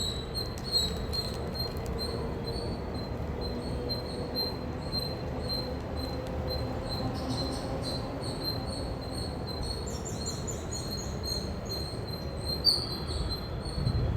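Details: Indian squirrel chirping loudly: a steady run of short, high, thin chips repeated in quick succession throughout, some in brief faster bursts near the end, over a constant low rumbling background noise.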